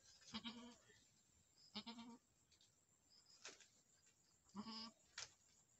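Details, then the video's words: Boer goat bleats from a Nepal farm after a first-time mother's successful birth of a male kid: four wavering, harmonic bleats about a second and a half apart, each roughly half a second long, over a soft background hiss. "boer goat fram in nepal पहिलो बेते पाठी सुत्केरी सफल भयो बोका पाठा रहेछ"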